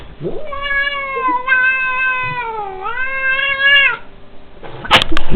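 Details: Angry domestic cat attacking its enemy: one long, drawn-out tonal yowl of about three and a half seconds, steady with a dip and rise midway, then trailing off, followed by a sharp knock near the end.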